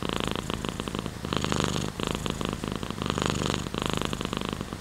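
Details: Continuous rumbling purr from a house cat, grouped in regular swells matching in and out breaths, with a faint hiss of rain behind.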